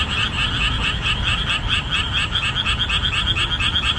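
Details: Many boreal digging frogs croak loudly in marshland exposed after the summer rainy season, their overlapping calls forming a rhythmic, pulsing wall of repeated notes above a low background hum.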